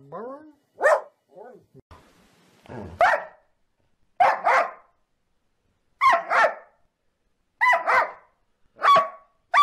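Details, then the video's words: Happy dogs barking out loud for fun: soft whines, then loud barks coming singly or in doubled bursts, roughly one every second. "Dogs barking out loud for fun happy dogs"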